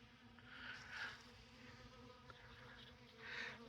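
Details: Many honey bees feeding on honey and comb at an open tote in December sunshine; a steady hum, with individual bees swelling louder as they fly close past, twice.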